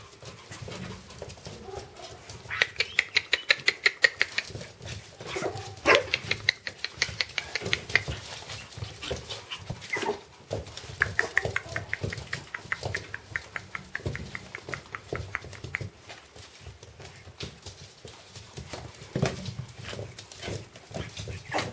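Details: Pomeranian puppies from a litter of four males and one female, born 7 July 2017, give high, thin yelps and squeaky whimpers in quick, uneven bursts.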